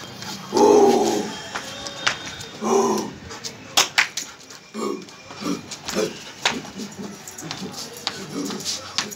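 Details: German Shepherd named Candy at play, giving two loud, harmonic bark-like bursts in the first three seconds, followed by softer scattered vocal sounds, sharp clicks and faint voices in the background.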